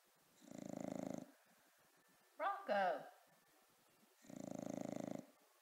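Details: Sleeping bulldog named Rocko snores in deep, buzzy, vibrating breaths, one at the start and one near the end, while a human voice calls out in the gap between them.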